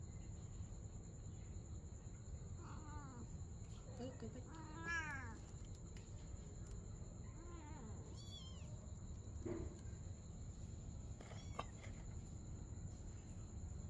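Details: At night a mother cat and her kitten play together, giving scattered mews spaced a few seconds apart, one louder and strained with a falling tail, others short and thin, against a constant low hum and a thin high-pitched whine.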